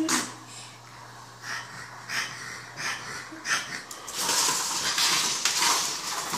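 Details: Scout, a French Bulldog, indoors, breathing with wheezy, snorting puffs that come roughly once a second, then a louder, rougher rasping stretch near the end.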